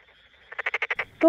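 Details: A Tokyo Daruma pond frog (Pelophylax porosus porosus), a rice-paddy frog in Tokyo, calls by inflating the vocal sacs on both sides of its face: a quick, rattling croak of about seven rapid pulses.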